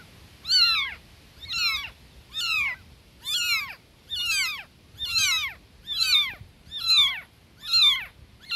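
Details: Newborn kitten calling for its mother, steady high meows falling in pitch, repeated roughly every second, about nine in eight seconds, in a quiet setting.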